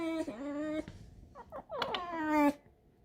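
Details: Alisa, a pet fox indoors, makes two long, level whining squeaks separated by a cluster of short broken yelps, with a clipped, nasal tone. The room is otherwise quiet.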